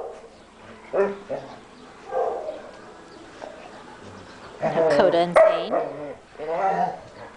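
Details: German Shepherd rescue dogs from Coastal German Shepherd Rescue OC: a quiet stretch with a person talking, then a loud burst of rough, overlapping barks and yelps in the second half.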